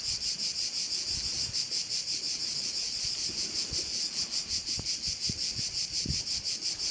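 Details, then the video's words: Crickets calling around a bay on Korčula, Croatia: a dense, high-pitched buzzing chorus that pulses steadily about three times a second, with soft low rustling underneath. "view of one of the bays in Korcula with sounds of crickets"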